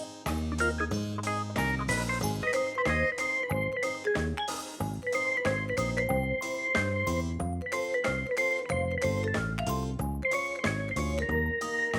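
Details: Upbeat instrumental music with piano, organ-like chords and light percussion plays throughout.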